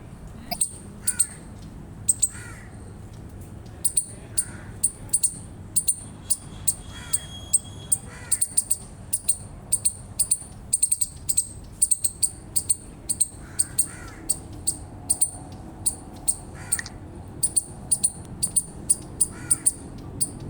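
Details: Eastern chipmunk chirping: sharp, short high-pitched chips repeated rapidly and fairly steadily, about two or three per second, over a quiet background with a few softer lower notes.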